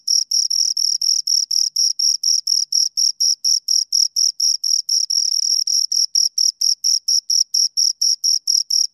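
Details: Two crickets chirp steadily in a rapid, evenly spaced train of high, shrill pulses, about four per second, sustained without pause; no other sounds intrude.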